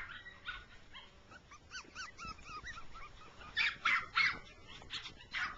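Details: Rough coat Jack Russell Terrier mother and six-week-old pups running in grass; a string of short arched whining yelps in the first half, then several loud sharp barks in quick succession.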